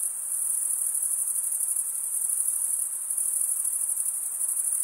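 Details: Crickets chirping, the sound made by males stridulating, a continuous high shimmering trill with faint rapid pulsing, steady and unbroken, no other sounds.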